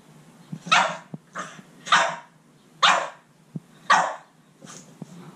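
A Boston Terrier barks at a cat in sharp, raspy bursts about once a second.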